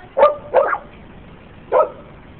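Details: Dogs barking at a sign: three short, sharp barks, two close together in quick succession and a third after about a second's pause, over a steady low background hiss.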